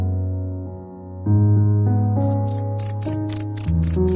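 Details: Cricket chirping, its sound described as a sign of summer's arrival and quiet nights. Crisp, high pulsed chirps start partway through and repeat in quick bursts over a loud, sustained background of droning music.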